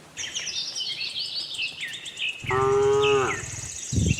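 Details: Cows from a tame herd wandering a cattle farm looking for grass: a single steady, about one-second moo that sags at its close, amid continuous twittering of small birds.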